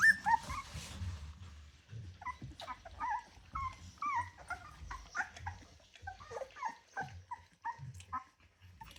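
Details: Rottweiler puppies, 24 days old, from a litter of ten, indoors: short high squeaky whimpers repeated in quick bursts, each a brief falling chirp, with soft shuffling and thumps underneath.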